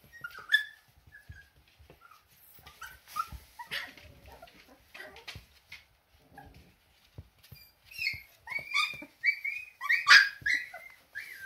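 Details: Siberian Husky puppies trying out their first steps indoors, giving thin, high squeaky whimpers and yelps in scattered bursts, busier toward the end, with soft rustling between.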